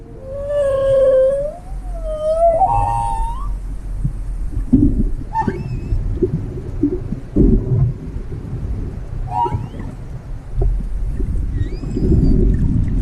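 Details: A whale in Croatia calls with tonal, moaning notes that swoop upward and waver, then shorter upsweeping cries, over a steady low underwater rumble and scattered clicks.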